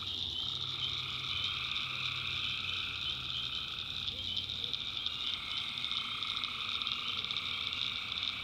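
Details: Tree frogs in a North Carolina swamp after dark, massed high trilling without pause, overlapping mid-pitched droning calls entering and fading, and a faint low hum early on.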